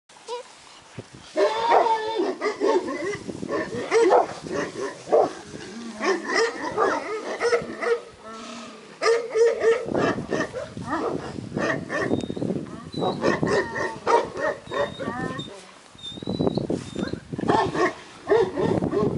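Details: Purebred Šarplaninac (Yugoslav Shepherd) puppies at a breeding kennel, several at once: a busy, overlapping chorus of short whiny yelps and squeals with harmonic whimpers, brief pauses, and a few thin high squeaks drifting above.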